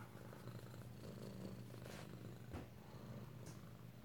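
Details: Close-up purring from kittens kept indoors at home in Alabama, 2/7/18: a continuous low, even drone with slight pulsing, a soft knock partway through and a woman speaking over it.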